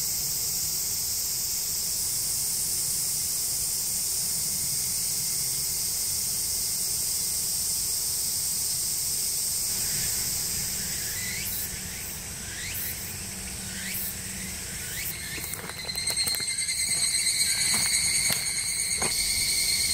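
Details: Japanese cicadas in woods beneath the Yoro Mountains on the Tokai Nature Trail, Japan. A steady high hiss runs for about ten seconds, then shifts to pulsing, ringing tones with faint clicks, swelling louder near the end.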